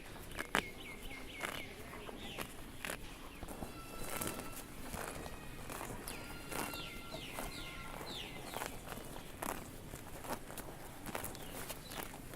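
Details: Grass-tearing crunches from grazing cows come in uneven bursts, while thin whistled bird notes and short trills drift through the background of a quiet rural field.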